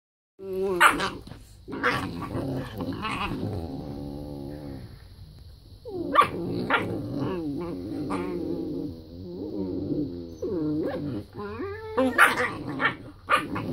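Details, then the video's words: Whippet puppies being loud in the morning. Several young dogs growl and yap at each other in a rough, playful tangle of voices. Sharp yips break through the steady throaty growling. "Loud whippet puppies....who is that in the back?"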